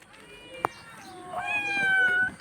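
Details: Pet cat named MoMo giving one drawn-out meow in the second half, a harmonic cry that holds steady then dips slightly before cutting off. A sharp click comes earlier, and a person speaks Hindi nearby.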